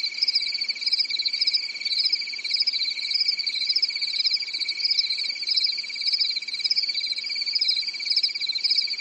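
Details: A night-time cricket chorus from a quiet European summer forest: an unbroken high-pitched trill with an overlying, gently undulating band of fast chirping pulses that keeps up steadily throughout.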